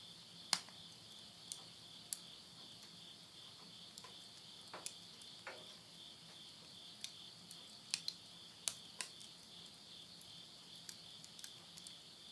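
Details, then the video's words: Countryside insect voices at midnight, Tottori, Japan, September 2020, end of summer: an unbroken high, piercing drone runs throughout, punctuated by frequent snapping crackles of burning firewood in a house stove. "the voice of insects"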